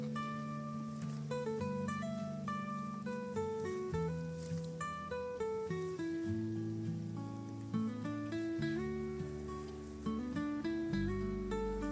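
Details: Acoustic guitar music with plucked and strummed notes in a gentle melody; no animal voices are heard.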